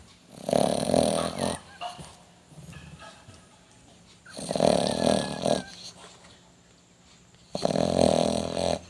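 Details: A dog asleep, snoring in three heavy rattling breaths spaced about three seconds apart, each a coarse growl-like drone with quiet pauses between.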